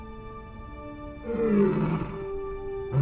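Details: A lioness alone at her fresh kill in the desert, with scavengers arriving, gives deep, rumbling roars to call the rest of her pride to the kill, over background music.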